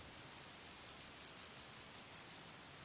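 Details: A Water-meadow Grasshopper (Pseudochorthippus montanus) at Andechs, Germany, on 21 September 2018 sings a quick series of high, dry rasping pulses that swell in loudness; noise removal was applied.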